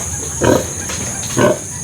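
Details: Farm pigs, a sow with her remaining piglets after a litter of twelve lost seven: a pair of brief, harsh grunts about one second apart, with a faint softer sound between and constant hiss behind.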